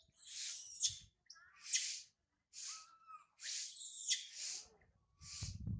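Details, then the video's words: Infant monkey Sario, abandoned by her mother Sarah, cries loudly on a high tree. A run of shrill screams and squeals, each under a second, with brief silences and one low whine. "Sario crying loudly a lot on the high tree after mother Sarah leave her"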